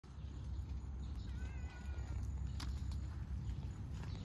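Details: Stray cat Cha-chan meowing while running up, with another cat, Fuku-chan, coming along; one short, thin, slightly falling meow over a steady low rumbling background.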